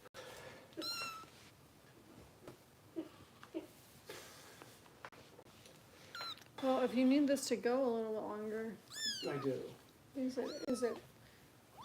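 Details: Bottle-fed foster kitten Harper, cared for by Kitten Rescue volunteers in Los Angeles, lets out thin, high mews near the start and a cluster of sharp, falling cries near the end, with human speech indoors in between.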